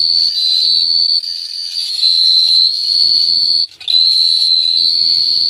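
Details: Cricket song under the night sky in Phteah Prey: an even, piercing high-pitched trill holding nearly steady pitch, pausing once briefly, with soft low humming patches in the background.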